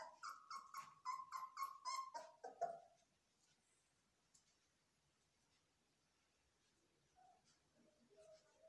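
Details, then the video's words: Young Belgian Malinois in training give a burst of quick, high yelping screams over the first three seconds, rapidly repeated and ending in a sharp cry, then near silence with a few faint whimpers near the end. "Malinois puppies scream"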